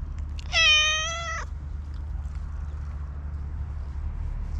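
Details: Stray black cat giving a single steady meow of nearly a second, bright and strongly harmonic, ending with a slight downward bend; low rumbling hum throughout and otherwise quiet.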